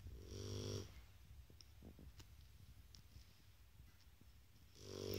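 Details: Shar Pei asleep indoors. Two rasping snores, one at the start and one at the end, each under a second, with low buzzing tones and breathy hiss. Soft breathing and small clicks fill the quiet gap between them.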